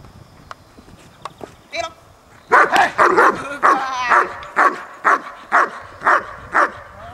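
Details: Training session with Horna, a German Shepherd taking the sleeve for the first time: after a few quiet seconds, a run of steady, evenly spaced loud barks begins, roughly two each second, with faint voices underneath.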